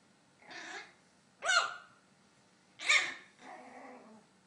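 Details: Maltese puppy giving four short, high yapping barks spaced about a second apart, some sharp and bright, others softer and breathier, in a quiet indoor setting.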